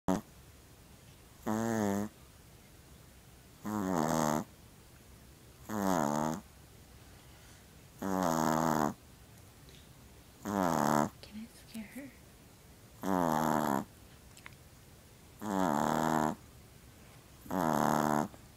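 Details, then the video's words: Pomeranian dog asleep and snoring: long harmonic-rich snorts with a wavering, rattly texture, each lasting about half a second to a second, recurring roughly every two to two and a half seconds against quiet room background. "Funny Snoring Pomeranian"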